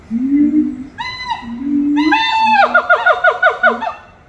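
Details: Monkeys singing at Little Rock Zoo: low hooting notes sliding near the start, then clear whistled whoops that rise and fall, ending in a fast run of repeated bouncing notes, about six per second.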